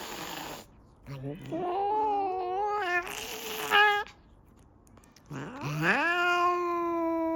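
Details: Angry cat losing its temper, letting out long, drawn-out harmonic yowls that rise and waver, two main outbursts separated by a short quiet gap, with a sharp noisy burst between them.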